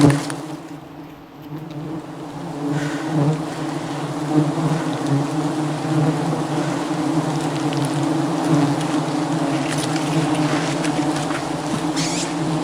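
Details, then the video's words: Wild honey harvesting in the jungle as an aggressive bee swarm attacks the climbing hunter; a continuous deep humming drone of many bees builds from a brief lull into a steady, dense buzz with faint rustles. "Dangerous Struggle Against an Aggressive Bee Swarm"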